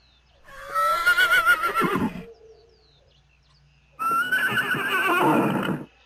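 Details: Horses in a galloping herd neighing: two loud, shaky, quavering whinnies, each about 1.5 to 2 seconds long, the first falling away at the end, separated by near silence.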